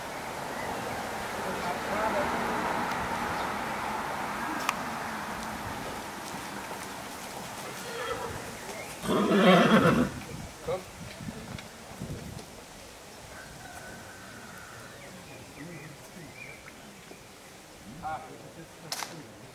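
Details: Colt foal sired by Cash and Carry out of an Aljano–Landgraf I dam, born 22 May, at a foal show; a short harmonic whinny bursts out midway, preceded by an announcer's voice and soft background chatter and hoof noise.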